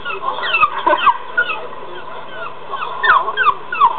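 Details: Jack Russell Terrier watching another terrier on a screen, whimpering in a run of short, squeaky, downward-sliding yelps, uneven and clustered, with a soft pause in the middle.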